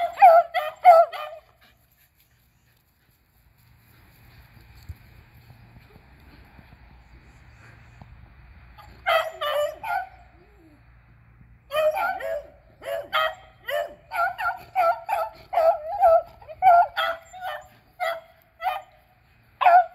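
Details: Three beagles, Athena, Zeus and River, baying while hunting squirrels on April 21, 2020; an opening burst of yelps, a quiet stretch with faint rumbling, then rapid, uneven runs of sharp yelping barks.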